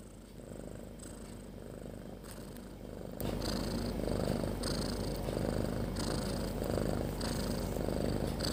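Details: Sleeping cat Snoring: Snopi, resting alongside her kittens, gives a low continuous rumble with airy breaths about once a second, growing noticeably louder after the first three seconds.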